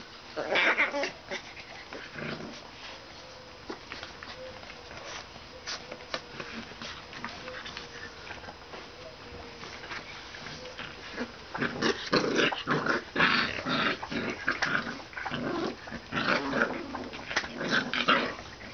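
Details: Two Pit Bull–Shar Pei mix puppies play fighting indoors, giving rough, broadband growls and yips in irregular bursts that grow denser and louder in the second half, with scuffling and clicking noises.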